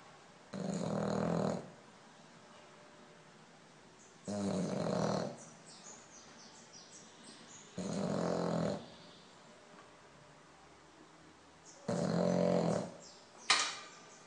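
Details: French Bulldog snoring in its sleep indoors, a steady cycle of rough, rattling snores about every four seconds, four in a row, with a small click near the end.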